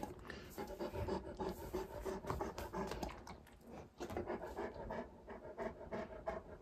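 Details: Male Great Pyrenees named Alain, indoors in Mother's room, peering at his own mirror reflection he takes for a strange white dog; steady fast panting, roughly three breaths a second, with slight scratching.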